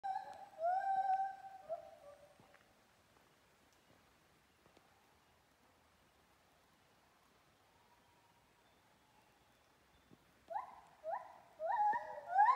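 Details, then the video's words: Monkey singing in Kaeng Krachan National Park: bursts of short, harmonic hooting notes at the start, then a long near-silent gap, then a series of quick rising notes toward the end, fairly faint against a quiet background. "Canto di una scimmia nel Parco nazionale di Kaeng Krachan"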